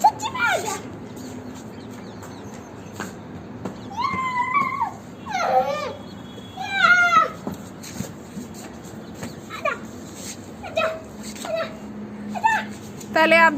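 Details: Labrador puppy Simba at play gives a series of high, wavering whines, some rising and falling, grouped in short bursts with pauses, over a low background hum and human speech.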